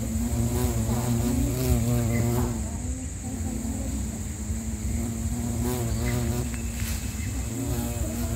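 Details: Bumblebee (Bombus pennsylvanicus), Sri Lanka: a fluctuating deep buzz across eight seconds, rising and falling in pitch and loudness as the bee approaches and veers away, with a continuous thin high whine in the background.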